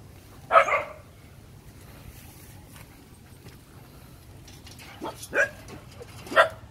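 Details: Phu Quoc Ridgeback puppies at a kennel in Saigon give short, high yelping barks: one burst near the start, then two more sharp yips near the end, with quiet pauses and faint voices between.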